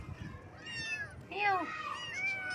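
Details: Baby kittens on their first morning: overlapping high meows, rising and falling, several voices crowding together, with a faint voice murmuring beneath.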